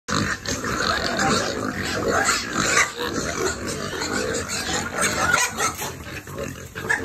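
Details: Piglets being fed on a family farm: a dense, continuous clamor of harsh overlapping squeals and grunts from many animals, with no pause throughout.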